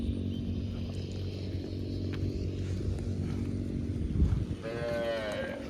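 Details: Cow. A cow moos with a sustained, low, rumbling tone rich in harmonics. Near the end a shorter, higher, wavering bellow rises above it.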